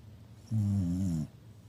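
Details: Snoring Shiba Inu: a single loud, deep, vibrating snore of about three quarters of a second, starting abruptly and cutting off cleanly, with near silence before and after.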